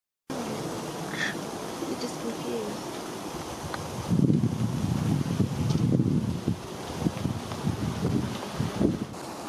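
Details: Thousands of ivy bees, late-flying solitary bees, swarming inside a large greenhouse at a charity horticultural site in the UK; a dense, low rumbling drone that swells in the middle, with some background noise.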